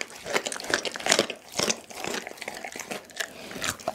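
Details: Pit bull named Dougie eating a whole raw chicken indoors, close-up: sharp wet crunches and crackles of bone and meat at irregular intervals, about two bites a second, with brief tearing sounds between.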